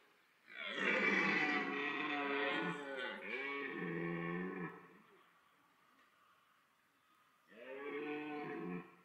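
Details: Autumn rut of red deer at Parc Sainte-Croix, a stag's loud bellow meant to draw females: a long roar of about four seconds with undulating, grinding harmonics, a pause, then a second shorter roar near the end.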